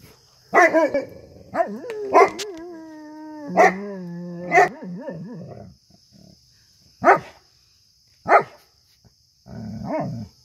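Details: Newfoundland dog, a female, practising howling after hearing coyotes howl in the woods: a series of short yodelling howl bursts, one held as a steady wavering note for about two seconds, with pauses between, and a faint steady high electronic whine throughout.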